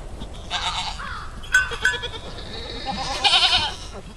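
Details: Baby pygmy goats offered for sale in Fort Smith, Arkansas; a few wavering, harmonic bleats rise and fall, with some faint background noise between calls.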